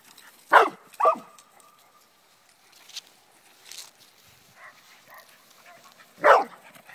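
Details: An English Springer Spaniel playing at home gives sharp, loud barks, two in quick succession and another after a pause.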